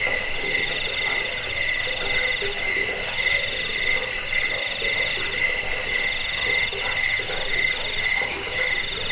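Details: Crickets recorded as a rat deterrent, sleep aid and bird training sound: dense high-pitched chirping in bright parallel bands, pulsing roughly twice a second, with a soft lower pulsed murmur beneath.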